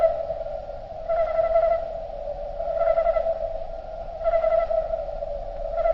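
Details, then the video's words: Slowed-down recording of crickets: a continuous low droning hum with three or four louder, shimmering pulses spaced roughly one and a half seconds apart, nothing else clearly heard. "Nature Sound Of Crickets Slowed Down"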